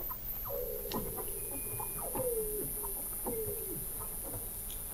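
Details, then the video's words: Weddell seals beneath the sea ice of McMurdo Sound, Antarctica, recorded in November 2017 at the McMurdo Oceanographic Observatory 21 m down: short falling mid-pitched whistles repeating about every second, over a steady high hiss. "Song of the Antarctic Weddell Seal"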